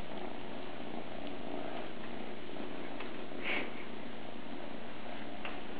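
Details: Close, loud purring from a kitten named Captain Cat Sparrow, just two months old: a dense, low, unbroken rumble with a short soft click midway.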